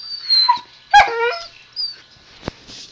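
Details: Young pet husky 'talking' to its owner: three brief whiny yowls, the loudest sliding downward in stepped pitch, with a click and a faint human voice in quiet pauses.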